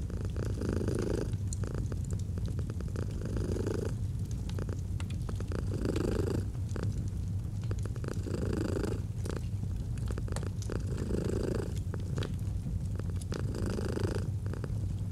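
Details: Long, steady purring of a domestic cat by an autumn fireplace, low vibrating rumble pulsing with each breath roughly every one and a half to two seconds, with fire crackles and pops throughout.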